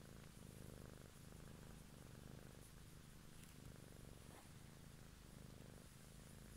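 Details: Cat recorded up close one evening, purring continuously: a deep, even vibrating drone pulsing in and out with its breathing about every second, plus soft rustles.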